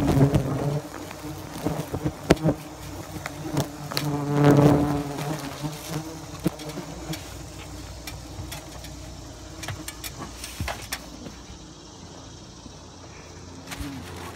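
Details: Bald-faced hornets at a nest being removed by pest control from the soffit of a home in Great Neck, Long Island, New York: a low, droning hum, strongest around four to five seconds, mixed with knocks and clicks from the work.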